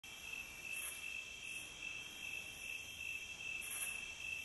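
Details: Crickets in a calm night-time nature recording: a steady high-pitched trill that runs without pause throughout, with faint brighter pulses above it and a low background hiss.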